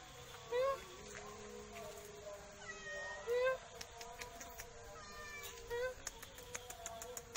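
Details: Sweet black cat giving three short meows about two and a half seconds apart, each a clear rising then falling mew, with faint clicks and light background noise in between.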